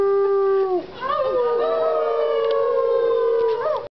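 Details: Gray wolf (Canis lupus), howl.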